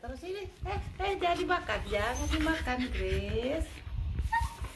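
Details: Siberian Husky Grace, a female, screaming during grooming as loose fur comes out: wavering, warbling howl-like cries sliding up and down almost without pause, with brushing noises and a woman's soothing voice underneath.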